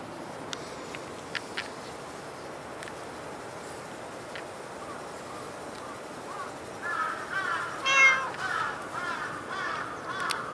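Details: Cat meowing at Dockyard Garden, early morning of 28 August 2016; after several seconds of steady hiss with scattered clicks, a brief meow rises out of a rougher, murmuring patch of sound.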